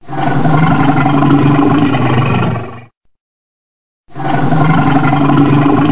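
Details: Red bear, as described, roaring: two sustained, deep, rasping harmonic growls, each nearly three seconds long, broken by a silent gap of about a second.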